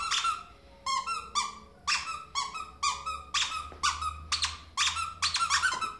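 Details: Ferret jumping about indoors like a dog, giving a run of short, bright, harmonic squeaks in quick bursts, roughly one to two per second, with a faint low hum in a small room.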